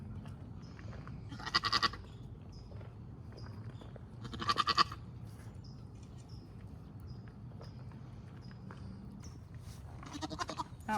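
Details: First-time Nigerian Dwarf doe Maggie kidding twins on a Northern California dairy goat farm; two short, trembling bleats early on, then long quiet with faint background noise and another bleat starting at the end.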